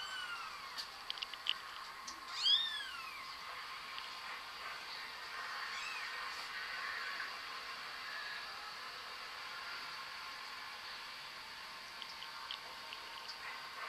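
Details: House cat with a brief arching meow, preceded by a few faint clicks and softer calls, then a long quiet stretch of background hiss.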